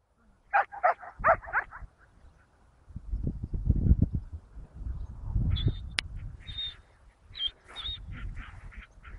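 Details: Belgian Malinois female named Mendy, a promising young bitch, during training: four quick harmonic barks in the first two seconds, then rustling and handling noise and short high squeaky tones toward the end.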